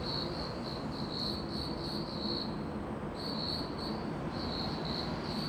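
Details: Cricket-like insect chirping in short trilled pulses, grouped into runs with a pause near three seconds, over a constant low rumbling background.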